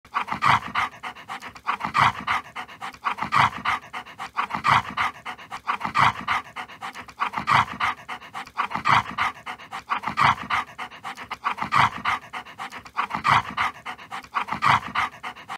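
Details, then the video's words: Siberian Husky eating and guarding its food bowl: fast rhythmic panting or huffing breaths repeated steadily throughout, with faint background music. "내 밥그릇은 내가 지킨다 2, 먹방, 시베리안 허스키, Siberian Husky"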